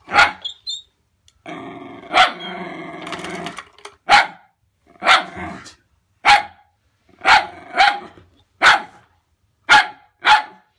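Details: Winnie the Wire Fox Terrier keeps barking at Bertie, her pull-along toy terrier: an early sustained growl, then a steady run of sharp single and doubled barks about every second, loud and clear.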